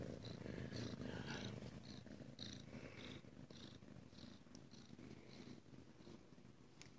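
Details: ['Ragdoll kitten purring at a home cattery in central Kansas, where the kittens are raised indoors without cages. The purr is a steady, low rumbling throb, pulsing rapidly throughout, with faint higher rustles and brief soft noises above it.']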